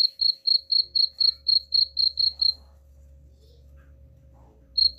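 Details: Cricket chirping used as a rat repellent: about ten quick high buzzy chirps in the first two and a half seconds, then a low rumbling hum with the chirping stopped, and one more chirp at the end.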